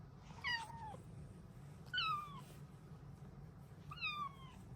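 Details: A female Bengal cat gives three clear, downward-sliding meows about every two seconds: happy morning meows telling her owners it's time to start the day.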